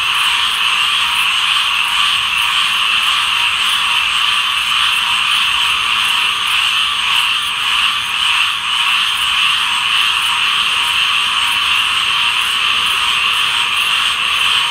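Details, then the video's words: Large group of tree frogs in full chorus, a loud steady high-pitched blend of overlapping croaks with faint irregular pulsing and brief small dips in volume. "Tree Frog Chorus"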